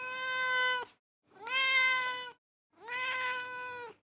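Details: Three evenly spaced, clear, bright meows from a cat, each about a second long with a steady pitch and rich overtones, silence between calls.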